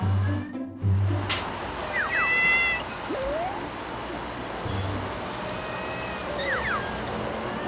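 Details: At cafe closing time a mother cat looks around and gives short, rising chirrups to call her two kittens back to the nest on the cafe roof, a call meaning "mother is here, it's safe".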